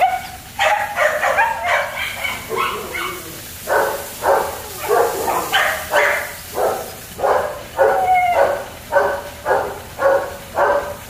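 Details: German Shepherd puppies at a kennel give a fairly steady run of high, clipped barks, close to two per second. Pitch rises slightly at times, over a low background hum.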